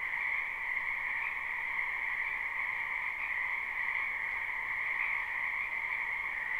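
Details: A spring wetland chorus of numerous frogs, recorded live and not looped: a continuous shimmering drone holds two stacked pitch bands throughout, its slight swells rising and falling without any pause, with nothing else clearly audible.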